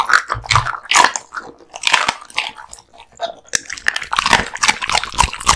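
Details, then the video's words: An American Bully gnaws raw duck meat and bones indoors. Crisp crunches and snapping bites come in quick clusters, with a short quieter pause midway before the crunching resumes. "Dog eating Raw Duck Meats ＆ bones 【American Bully】"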